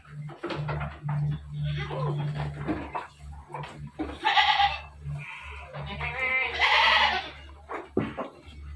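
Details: Dairy goats at a farm in Bogor bleating: two loud, wavering, nasal bleats about two seconds apart, each around a second long, over steady background music, low hum and some talking.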